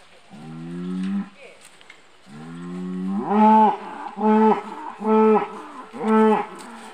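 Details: Hereford cattle at a beef week open day in Longford, mooing in loud, deep, harmonic-rich calls: a long low moo, then a rising moo followed by three more strong moos at roughly one-second intervals.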